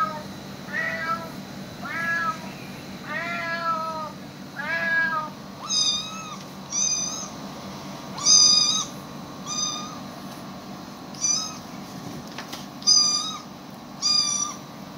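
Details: Pet cats reacting to animal sounds played to them: a run of falling, harmonic-rich meows, then shorter, higher, flat-pitched calls repeated every second or two over a steady low indoor hum.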